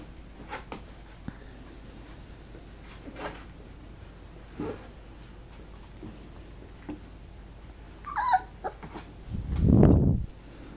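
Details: Three-week-old puppies at feeding time: scattered soft faint squeaks and snuffles, then a brief high wavering whine, followed by a loud low muffled thump close to the microphone.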